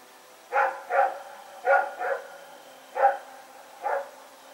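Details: Rex, a dog, barking at night on September 21, 2018 while running around: six loud, rough barks, mostly in pairs, spaced roughly half a second to a second apart.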